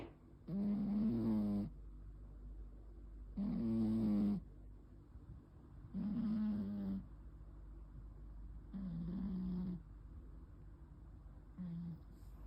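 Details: Snoring cat sleeping indoors, 9 May 2026: five gravelly, buzzing snores roughly every two and a half to three seconds, each about a second long, the last one fainter and shorter, with quiet pauses between.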